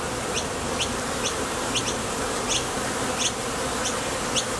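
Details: Continuous hum of many honey bees at a Top Bar Hive entrance as foragers leave and land, the vibration coming from their thoracic muscles; brief sharp clicks appear irregularly over the even drone.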